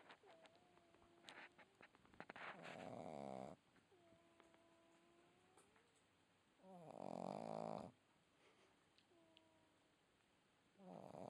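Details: Red Boston Terrier puppy asleep and snoring, three rough, rattling snore bursts at steady intervals of about four seconds, with quiet whistling nasal tones drifting between them and a few faint clicks.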